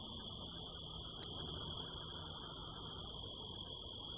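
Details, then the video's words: Night-time crickets in the hills of the California desert during a harvest moon: an unbroken, even, high-pitched ringing trill with a fainter higher band, and a soft low rumble behind it. "the sound of crickets"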